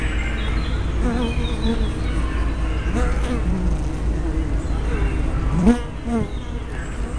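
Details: Bees crowding the entrance of a hive, May 2012, recorded on a small spy cam: a dense, constant low hum, with passing individuals giving short wavering buzzes that swell and fade.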